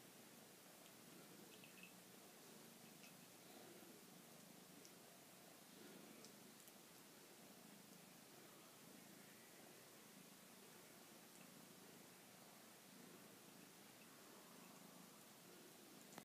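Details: A somewhat lonely house cat purring quietly indoors in a small room, a soft steady low rumble that swells and fades in slow breathing cycles, with faint rustling.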